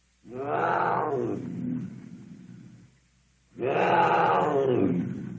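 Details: Cougar roar: two drawn-out, harmonic, moaning calls about a second and a half each, the first fading into a lower growl, separated by a short near-silent gap.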